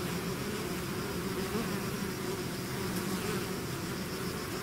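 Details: A swarm of bees out of the hive fills the air with a continuous, even buzzing drone, no pauses and no other sounds.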